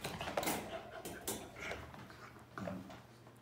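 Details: Border Collie. A Border Collie lets out three brief, clipped barks spaced about a second apart. Softer whimpering and faint voices fill the gaps in a small, echoey room.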